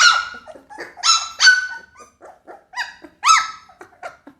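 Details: Pit Bull puppy crying with loud arching whines and shorter yips, each note bending up then down, spaced unevenly with brief pauses between them.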